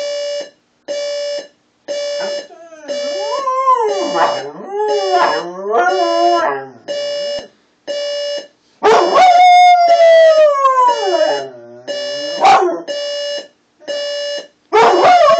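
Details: Sophie, a pet dog, howls in reaction to an alarm clock: wavering, sliding howls that rise and fall, loudest in two long bouts, over the clock's steady beeping that repeats about once a second.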